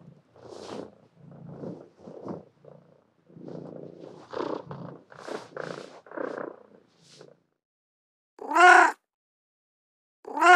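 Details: Cat making a stretch of low, rough purring and chirruping murmurs, then after a pause two loud, sharp meows, each rising and falling quickly.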